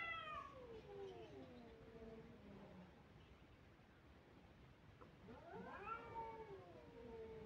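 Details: Kittens crying: two long, drawn-out meows, the first sliding downward over about three seconds, the second rising sharply then falling, with a quiet pause between.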